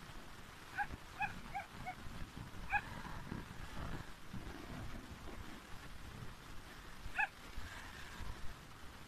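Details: Farm Yorkshire terrier out hunting fish lets off a quick run of sharp, high-pitched yips early on, then one more after a pause of several seconds, against constant low-frequency outdoor noise.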